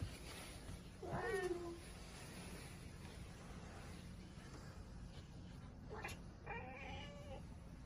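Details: Domestic cat making talkative sounds: a brief, downward-sliding meow early on, then a short, quiet chirping meow near the end, over steady low background hum.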